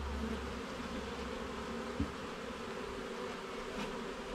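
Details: Dense humming of a honey bee colony while the hive is opened and its frames checked, a continuous buzzing drone over a deep low rumble, with a single soft knock at two seconds.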